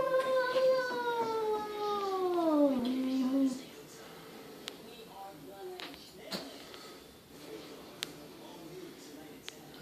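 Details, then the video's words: Perseus, a cat recently adopted from the SPCA, moans at himself in a mirror indoors: one long harmonic wail that slides steadily downward and fades after about three seconds, followed by quiet room noise and faint clicks. "Perseus the cat talks to himself in the mirror"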